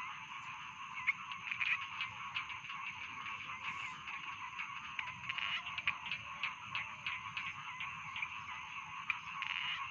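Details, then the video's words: Many rice field frogs croak at once in a rough, buzzing chorus with occasional louder bursts standing out, over a constant faint high-pitched hum. "Suara Katak Sawah"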